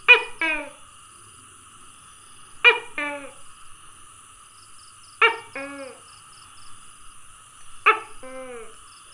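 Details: Tokay gecko calling, recorded 27 May 2020: four loud two-part croaking calls, a sharp first note then a lower falling second, repeated about every two and a half seconds, with faint high insect pulses behind.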